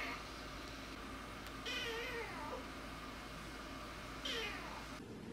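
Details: Rescued feral kitten named Namba, one-eyed, meowing indoors during its first week; two faint, thin meows with a short falling tone, separated by a few seconds of quiet room noise.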